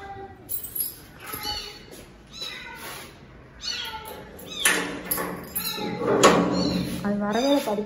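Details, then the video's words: Cats rescued from inside a locked house, the mother cat crying for her kittens: repeated short meows with harmonic stacks, rising and falling, roughly every half second to second, over talking, background music and thuds. "தாய் பூனையின் கதறல்"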